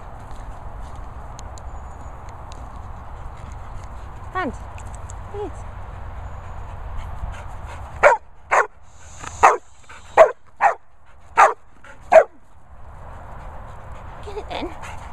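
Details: A Labrador at a dog training and boarding kennels in the Worcestershire countryside gives a run of seven sharp, evenly spaced barks, roughly two a second. They follow two faint rising whines, with a man speaking before them.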